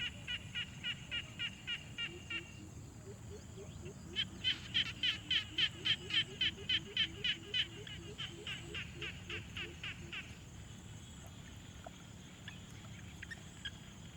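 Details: Quiet pond frogs recorded on a Tascam Portacapture X6 field recorder: a steady run of evenly spaced pulsed calls, about three or four per second, with a lower, softer pulsing series beneath. The chorus fades out near the end.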